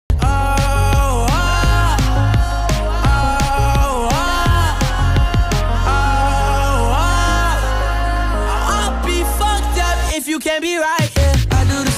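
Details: Pop-style music with a sung melody and a strong bass beat plays throughout; no animal sound is heard.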